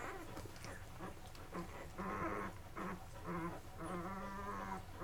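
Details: Labrador Retriever puppies, Mocha's litter, eleven days old, indoors while feeding and settling to sleep; low drawn-out whining grunts with steady harmonic tones, swelling and fading over several seconds, with rustling underneath.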